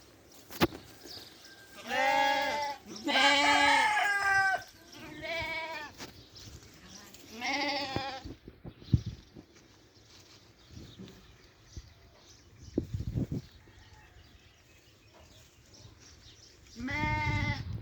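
Several sheep give loud, tremulous bleats, each a wavering nasal cry lasting about a second, bunched early on with a lone one near the end. Between calls come soft munching and small knocks.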